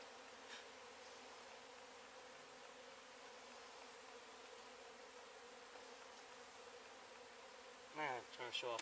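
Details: Continuous humming drone of honey bees during a hive relocation in Weslaco, Texas; the colony was a swarm from an exposed tree hive. Soft knocks, then a burst of human voice near the end.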